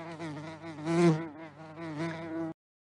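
A bee's steady, low droning buzz that swells louder and fades as it flies near.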